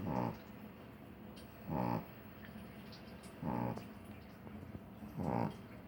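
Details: Small dog snoring while asleep indoors, four evenly spaced rough, buzzing snore breaths roughly every one and a half to two seconds, with soft hiss between them.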